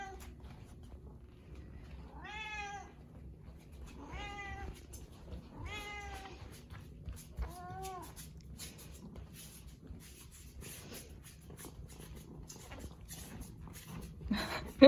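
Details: Indoor house cat that trails its owner everywhere, meowing four times about every two seconds, each call a clear arched wail, the last one shorter and lower, then quiet rustling and a loud bump at the end.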